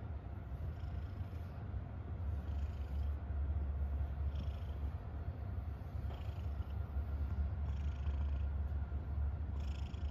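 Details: A happy domestic cat purrs steadily, a low rumbling vibration that pulses continuously without pause.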